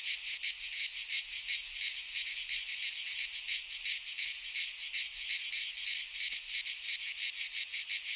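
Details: Greek pine forest cicadas in midsummer song: a loud, sizzling high drone throbbing in quick, fairly regular beats, almost three per second, steady throughout.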